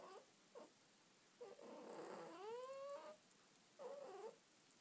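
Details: Pet cat snuggled under a blanket meowing: a few short chirps, then one long rising meow lasting over a second, followed by a shorter drawn-out meow, quiet room behind.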